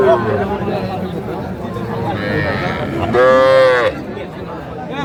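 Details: At a cattle market where a Gazipur farmer buys very small bull and heifer calves on 7 January 2025, one loud, drawn-out harmonic moo lasting under a second rises above steady crowd chatter and bargaining voices.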